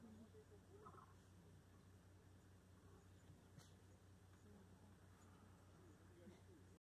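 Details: A male lion in Samburu National Reserve, Kenya, on May 25, 2019, gives a deep, rumbling growl to warn younger lions away while feeding inside the bush.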